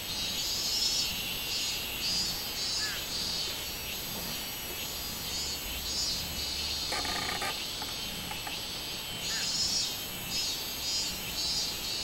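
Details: Cicada song from 24 July 2016, identified as robust cicada: a high, grating, pulsating drone with regular swells, a brief low hum, and a short rattling burst near the seventh second.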